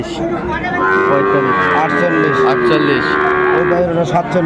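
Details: Sahiwal breed bulls bought by a Chattogram farmer on 17 December 2024: a long, drawn-out lowing moo that bends slightly downward, with men talking over it.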